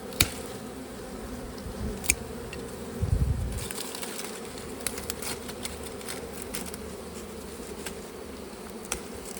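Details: Bees humming around a honey harvest. The low, continuous drone carries on for several seconds, broken by sharp taps and clicks from handling the comb. A louder rustling thud comes near the middle.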